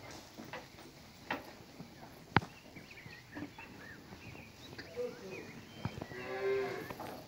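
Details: A cow (Bos taurus) among grazing cows and a bull in an open pasture gives one drawn-out, fairly high moo near the end, over quiet pasture sounds, scattered knocks and faint chirps.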